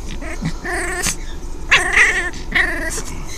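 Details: Five-week-old female foster puppy Delia, an orphan, plays with toys, giving three short, throaty, wavering growls at roughly one-second intervals, rising slightly then fading, with a sharp knock of a toy between them.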